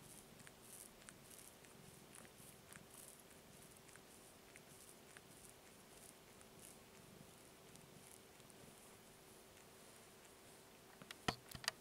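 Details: Kitten wanting to be petted, purring indoors: a soft, low, steady rumbling purr throughout, with a faint constant tone above and a brief sharp clicking rustle near the end.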